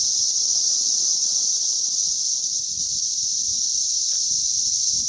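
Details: Massed cicadas during a May 20th 2034 hatch produce a constant shrill, buzzing drone that holds level without pause throughout.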